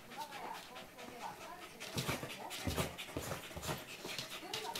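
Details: A corgi at 5:56 in the morning gives thin, wavering, high whimpering whines that rise and fall, broken by breathy panting and short, rough vocal bursts, with faint human voices and room noise underneath.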